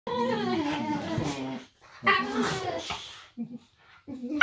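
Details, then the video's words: Pet Boxer dog 'talking' indoors at home, one of two boxers in the household: two drawn-out, moaning, voice-like phrases with wavering, sliding pitch, each lasting a second or more, followed by short quiet grumbles. "Boxer Dog Talk"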